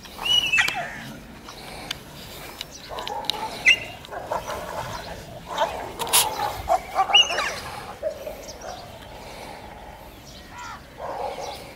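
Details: A German Shepherd in Pakistan, whose bark is said to sound like a bulldog's, gives short, rough barks in scattered bursts over a steady hiss of background noise.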